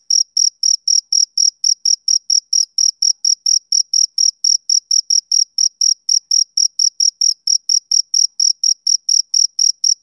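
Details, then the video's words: Rhythmic chirping from a male cricket on a summer evening, short piercing pulses roughly twice a second, keeping a steady pace for ten seconds against a silent background. "Cricket Chirping Sound Effect"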